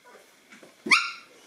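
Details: A single high, harmonic puppy yelp rising sharply then fading, from a 9-week-old Boston Terrier puppy in a litter being introduced to a toy; faint shuffling before it.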